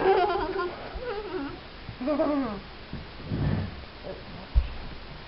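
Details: Wheaten Terrier pups, four weeks old, whimpering in wavering, quavering cries that slide downward, a few overlapping voices, followed by quieter breathy noises and a faint knock.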